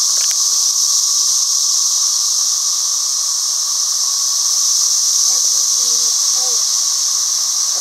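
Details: A piercing, steady cicada drone dominates throughout. Toward the end, soft low voices or whistled notes murmur faintly beneath the insects.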